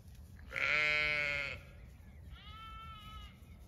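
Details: Zwartbles sheep flock on a regenerative farm in County Kilkenny, Ireland, spread out grazing diverse pasture on an evening after a hot day; one loud harmonic-rich bleat lasting about a second, then a softer, lower second bleat.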